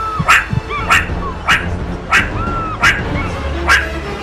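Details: Captive meerkat family at Newquay Zoo, the sentry on lookout while others feed giving its alarm call on spotting a predator; short harsh broadband barks repeated roughly every 0.6 seconds, with thin rising-falling chirps between them.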